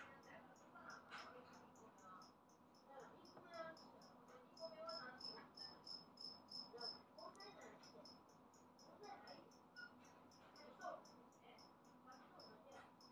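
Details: Newly emerged adult two-spotted cricket, noted as very loud, giving a steady series of short, high, pulsed chirps in rapid succession throughout, described as 'piri-piri-piri'; lower murmuring sounds and faint voices rise and fall underneath.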